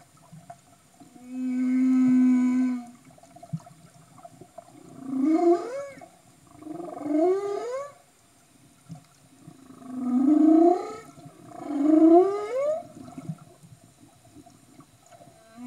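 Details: Humpback whales filmed underwater in Tonga in 2015: a low, steady harmonic moan, then two pairs of rising, upswept whooping calls, each pair about five seconds apart, in quiet water with faint background hiss.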